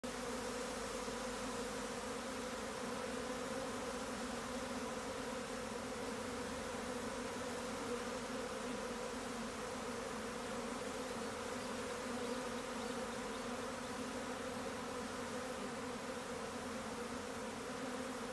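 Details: Swarming honey bees, in a time series of a swarm: a dense, steady droning hum with layered low tones, unbroken and even in loudness throughout, with a faint hiss above.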